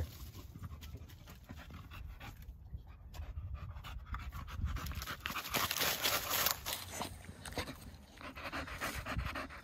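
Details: Pet dog, a male, panting hard after running around outside at 35 degrees; rapid breathy huffs come steadily several times a second and grow louder toward the end over a low rumbling background.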